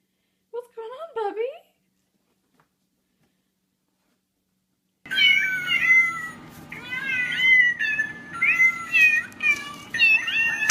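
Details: Domestic cat from a funny compilation: a short wavering meow that rises then falls, a long silence, then a busy run of higher, bending meows repeated about every second over a low indoor hum.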